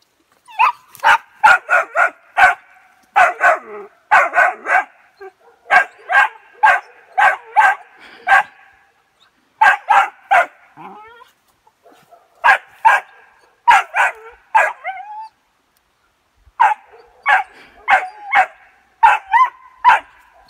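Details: A 3-month-old West Siberian Laika puppy, meeting a wild boar for the first time, barks in rapid, sharp, high-pitched bursts with brief pauses between.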